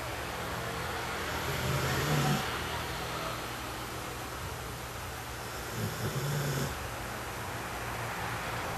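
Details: Sleeping puppy snoring, two low rumbling snores with airy breath noise, one near two seconds and another about four seconds later, steady background hiss between them.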